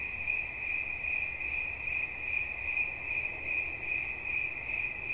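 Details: Shrill, ringing cricket chirp, a sustained high note that throbs in rapid, fairly even pulses over a quiet low-frequency murmur.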